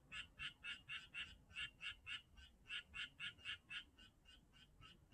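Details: Frogs at Janghyeon-dong giving fast, evenly paced croaks, about four per second, each a short bright burst, continuing steadily throughout with a faint low rumble beneath.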